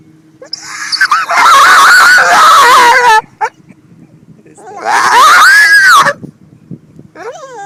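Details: Rescued female pit bull dog at a beach, excited by boats she chases, gives loud, long, wavering screaming whines with strong harmonics, two drawn-out bursts of about two and one seconds, short squeaky whimper at the end.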